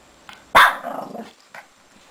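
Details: Shih Tzu puppy Lacey, six months old, playing in her bed; one sharp bark trailing into a short rough growl, then a faint small yip.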